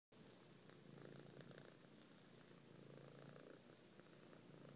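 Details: Domestic cat purring while kneading a person's belly with eyes closed; steady low rumbling purr in soft continuous waves, swelling and easing with each breath, with a faint rustle over it.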